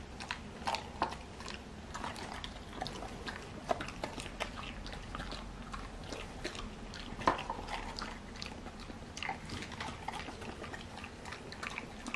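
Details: Hachimitsu and Crayon, twin sister Golden Retriever x English Cocker Spaniel mix dogs, eagerly tearing into an oversized sea bream skin jerky indoors; steady crisp crunching and snapping bites throughout, with a sharper crack near the middle.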